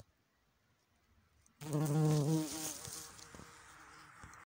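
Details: Buff-tailed bumblebee queen, Bombus terrestris, in Switzerland, coming out of hibernation: after a second and a half of quiet, a sudden loud low droning buzz with layered harmonics, strongest for about a second, then fading to a softer hum.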